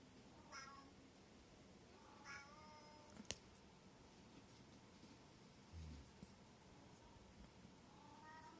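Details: Short-legged Munchkin, Abyssinian and brown tabby house cats during a cat-punch fight; faint, short meows near the start and again near the end over quiet room noise, with a sharp click midway.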